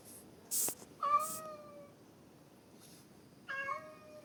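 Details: Domestic cat meowing twice, each a clear, drawn-out harmonic meow lasting about a second with a slight rise and fall, separated by a short pause, plus a few sharp clicks or taps.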